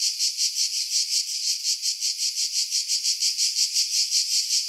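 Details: Cicadas in pine trees at Pefkos Bay, Skiros Island, Greece, July 2018, recorded on a camera with external mic; a shrill sizzling buzz swelling and fading in even rhythmic pulses, about three per second.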